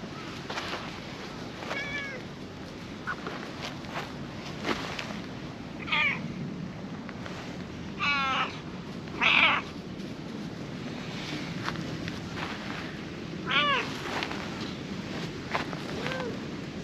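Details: Cats on a park lawn, a calico being petted as a companion cat comes over, give short rising-falling meows and chirps scattered through the clip over steady hiss and rustling.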